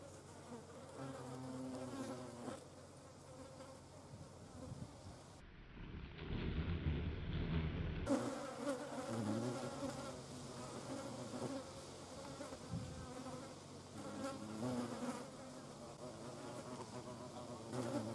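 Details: Hornet hunting carrion flies in the Eifel region of Germany, a steady low buzzing hum of wings that wavers in pitch, with a louder rumbling burst partway through.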